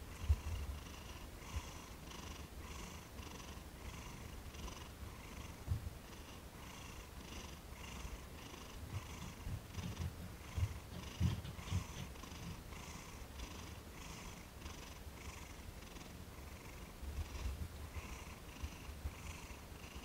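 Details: Twenty seconds of sustained purring from Thomas, a relaxed cat enjoying a massage on head and back; a rich, low rumble rises and falls in steady breath cycles, punctuated by a few light knocks and rustles of touch.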